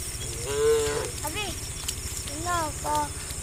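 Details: A herd of tame cattle walking along a path toward green fields on a sunny day, several cows mooing in turn with drawn-out tonal calls rising and falling over a low background rumble.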